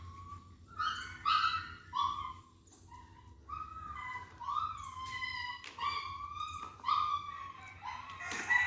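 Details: Puppy at a family home in Vietnam, early morning, getting worked up as coffee and corn are served for breakfast; high, tonal whines and yelps repeated roughly every second, some rising then falling, with a man calling to it.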